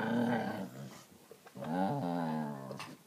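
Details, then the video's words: Australian Kelpie making funny noises indoors in a small room: drawn-out harmonic growling whines, a long moaning note rising and wavering before a short break, then a second sustained grumbling moan with small clicks around it. "funny noises"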